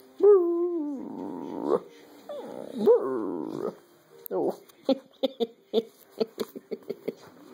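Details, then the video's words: Pet dog Jaffa in a bout of pack howling with a person indoors: two short rising howls with noisy breathy edges, then a string of quick yips and whimpers repeated about twice a second. "Jaffa and I indulge in some pack howling"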